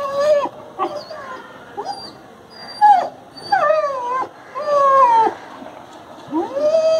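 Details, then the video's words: Injured adopted street dog with a broken bone, crying in pain: a series of high whining cries, some falling and some rising, repeated about once a second with short gaps. "Crying inPain"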